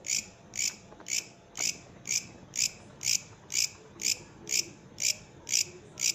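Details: Bush cricket, or katydid, gives a steady series of raspy high chirps, about two each second, thirteen in a row, each a brief bright burst, with faint background noise between.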